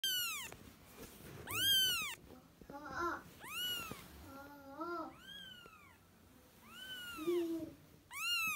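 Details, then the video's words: Kitten calling for its mother cat: a quick series of high, arched meows, each rising then falling, repeated about once a second, with a few lower, wavering mews in between. "Yavru kedi sesi kediniz hemen gelecektir kedi çağırma sesi yavru kedi sesi anne kedi çağırma sesi"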